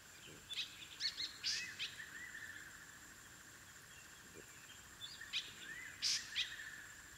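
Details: African wild dog puppies (Lycaon pictus) at their den: scattered bursts of high, sharp chirps and short arched squeaks in clusters around the second and sixth seconds, over a steady high insect drone.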